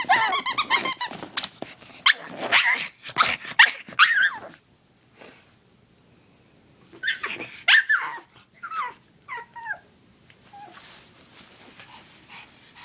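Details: Oscar, a pet dog eager to play with his favorite chew toy, lets out bursts of high, wavering whines and sharp yelps, then falls quiet before more rising and falling whimpers and a few short yips.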